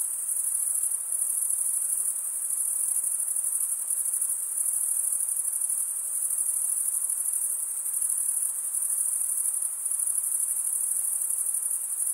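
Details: Continuous high, pulsing buzz of chirping crickets, males stridulating with their serrated wing veins; the trill stays even and unbroken throughout, with only a faint hiss beneath and no other animals.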